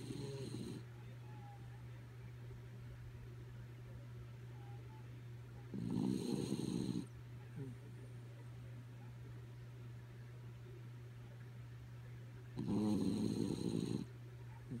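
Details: Kaya Boo, a sleepy dog, snores while asleep: three rough, low rasping snores, each about a second long, spaced roughly six to seven seconds apart over a steady low electrical hum.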